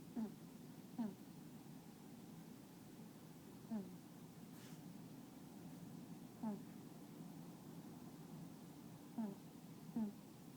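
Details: Cat (kitten). Brief, low honking sounds come from a sleeping kitten, each a quick nasal burst. They arrive at uneven intervals of one to three seconds against a steady indoor hum.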